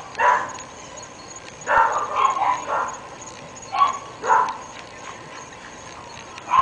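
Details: Neighbourhood barking from three pet dogs in North Bay Village, heard day and night by residents; clear sharp barks, single and in quick runs of three, separated by pauses, with a thin steady whine behind.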